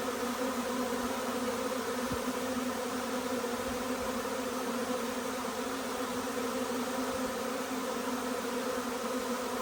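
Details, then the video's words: Arriving honey bee swarm after the colony split: a continuous, even drone of countless wings, layered tones holding steady throughout, with a few faint low thumps beneath. "Huge swarm arrives, magnificent as always!"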